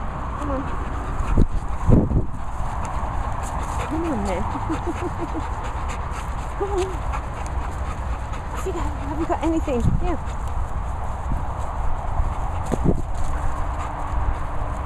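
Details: Labrador Retrievers Lillie and Ollie at a Worcestershire countryside training and boarding kennel; high, wavering whimpers come in short bursts near the fourth, seventh and ninth to tenth seconds, over steady background noise, thumps and a person talking.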